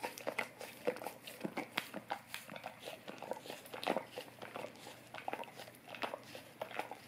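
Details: Steady wet lapping from a Golden Retriever working an Orapup tongue cleaning brush in a small room: rapid sticky clicks and smacks, clustered in short runs, with a faint background hum.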